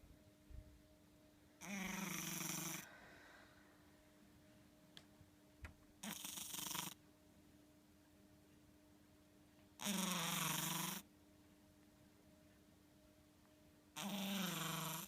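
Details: Ten-chan, a house cat, snoring while asleep indoors: four rasping, breathy snores about a second long, spaced roughly four seconds apart, with a steady low hum in the room between them.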